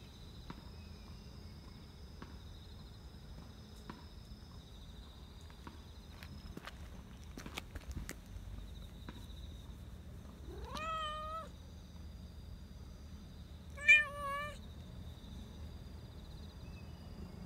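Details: A black Persian park cat, looking angry but actually happy and rubbing affectionately, gives two clear meows, the first rising, over a steady insect drone.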